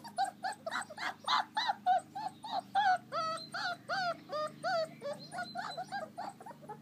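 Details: American Akita puppies playing outdoors in their garden run on a fine day; a rapid stream of high, wavering whines and squealing yelps, about three per second, several pups' voices overlapping, some notes bending up then down.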